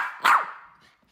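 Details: One short, sharp bark comes from Teddy, a miniature poodle that hates its harness seatbelt. The bark rings briefly and then fades into quiet.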